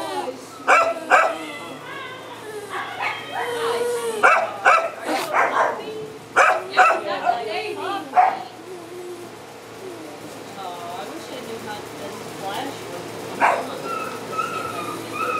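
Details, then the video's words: Little black dog confined in a cage at a shelter: sharp yips and whining cries come in quick clusters early on, then thin out into scattered faint whimpers and an occasional single yelp. "Little Black Dog Cries In Cage"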